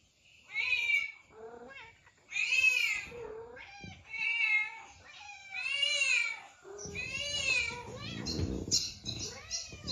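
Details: Cat meows come in quick succession, several curving plaintive calls that sometimes run together, followed near the end by a burst of scratchy noise under the last meows.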